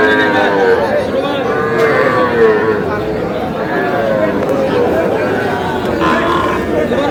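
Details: Calves, bulls and heifers around three to three and a half months old, at a Cumilla cattle market in Bangladesh; wavering moos recur through the clip amid constant crowd talk and haggling.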